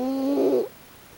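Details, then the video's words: Sleeping raccoon dog named Pochi snores with a strange face; one drawn-out, humming, whistle-like breath swelling for about two-thirds of a second before stopping, indoors and otherwise quiet. "たぬきのポチのイビキ Snoring of Pochi of the raccoon dog"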